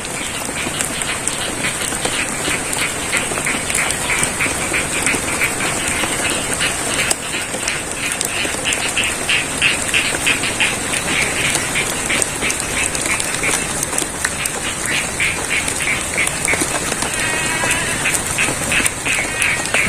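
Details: Frogs croak in steady, rapid pulses through the hiss of falling rain in the middle of a rice field in Pacitan, East Java, Indonesia.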